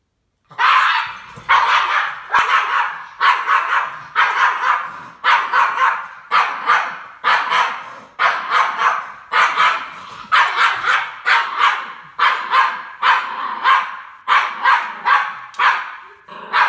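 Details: Norwich Terrier facing a Star Wars C-3PO figure, barking steadily in sharp, bright barks, roughly one per second, about seventeen in a row with short gaps, no other sounds.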